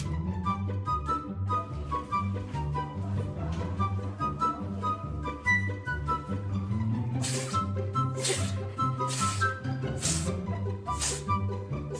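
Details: Upbeat instrumental music with plucked, marimba-like notes, a bouncing bass line and bright percussive bursts; no animal voice is heard.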